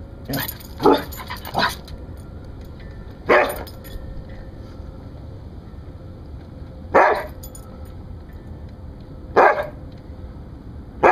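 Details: Rescued Siberian Husky giving guard barks: a quick run of three barks, then single barks spaced several seconds apart, against a quiet, humming indoor background.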